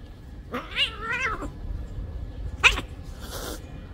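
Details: Cat meowing while a big cat bites a small cat: a drawn-out wavering meow, then a short sharp cry around two and a half seconds, with a brief rustle and steady low background rumble.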